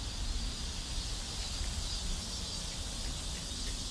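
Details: South Korean neighborhood cicadas forming a continuous, even, hissing high-pitched drone, with a low rumbling background throughout.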